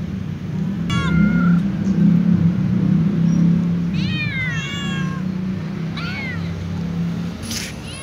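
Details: A calico cat sitting on a wooden chair beside a white cat gives a series of drawn-out, wavering meows over a low background rumble.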